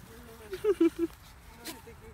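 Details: A two-month-old Cane Corso puppy playing with another dog gives three quick, high yappy barks in a short burst.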